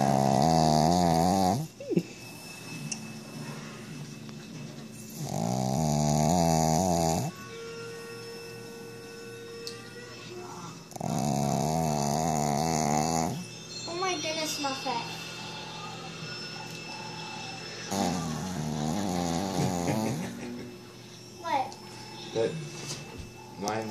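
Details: An older female Shih Tzu, possibly awake, snores in loud, rasping breaths of a couple of seconds each, with people talking between them.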